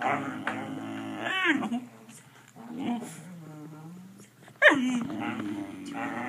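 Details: A pet dog 'talks' for treats with warbling, whine-like vocal bursts, a wavering cry near the start and a sharp rising-falling yowl later, joined by a low drawn-out moan in between.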